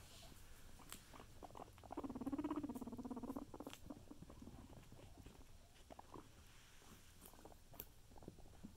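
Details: Guinea pigs eating carrots; a loud wavering squeal rises briefly midway amid continuous crunchy chewing and scattered clicks, with a person's voice faint at times.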